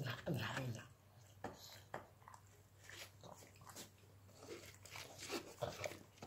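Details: A pug snorts, snuffles and smacks wetly while chewing a small snack, in short irregular bursts over a low indoor hum.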